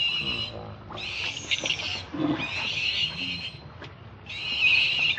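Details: A hungry baby monkey cries for milk in high, piercing wails. They come in several drawn-out bursts separated by short pauses, with faint low rumbling beneath.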